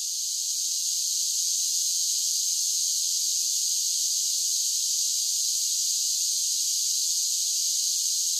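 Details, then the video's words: Dense, even wall of high buzzing from singing cicadas on a summer day, sustained without pause for the whole stretch, with no other sounds. "10 Hours of Cicada Sounds for Relaxation with Soothing Summer Nature Sounds"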